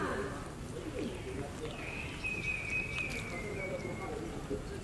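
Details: Tiny baby monkey Berry calling loudly for mom Beaker, who has gone away: one long, high, thin wail held steady for about two seconds before dipping slightly, set against a murmur of outdoor background sound.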